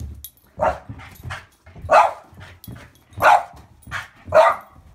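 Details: Boston Bull Terrier barking while playing monkey in the middle with a football: four sharp, loud barks spaced about a second apart, with softer huffs and panting between them.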